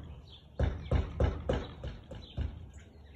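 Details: Siberian Husky recorded at 4:17 pm on 13 March 2021: six short, punchy barks in steady succession about three per second, with faint outdoor background.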